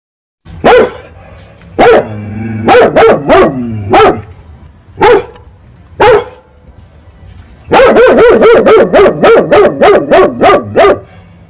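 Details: A big dog barks angrily at cats fighting in the night: scattered loud barks at first, then a rapid, steady volley of around a dozen barks in quick succession.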